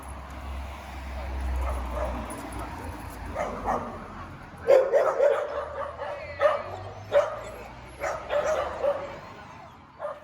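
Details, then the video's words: Barks from a dog seized for mistreatment that became aggressive toward dogs, people and bicycles, heard during its rehabilitation: low hum at first, then a run of abrupt, irregular barks through the second half. "Se noi inibiamo punendo il cane quando ringhia, quando abbaia, poi impara ad attaccare senza segnali di preavviso."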